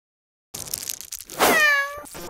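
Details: Norwegian Forest Cat walking outdoors off leash on a daily walk; rustling movement first, then one loud drawn-out meow, rich in harmonics and falling slightly at the end, followed by soft rustling.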